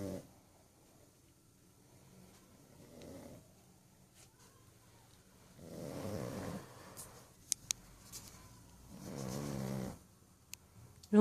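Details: Sleeping pug snoring indoors: slow, raspy breaths swell and fade in long rumbling bursts several seconds apart, the loudest around the middle and near the end, with faint clicks in between and a quiet room otherwise.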